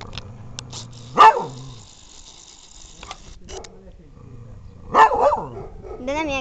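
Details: Dog in a slightly angry mood giving two single loud barks about four seconds apart, with a man speaking quietly and a whining note at the end.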